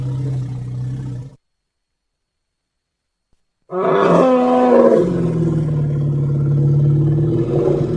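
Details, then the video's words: Elephant giving a deep, harmonic rumble for over a second, then a pause of two seconds, then a louder call that opens with a brief higher tonal wail and settles into a long, steady low growl. "Som de elefante - elephant sound"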